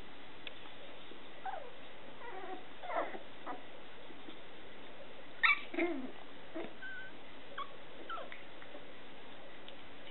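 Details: Scottish Terrier puppies belonging to Etna making sparse squeaky whimpers, a sharper yelp near the middle, then a few soft high peeps, with faint hiss underneath.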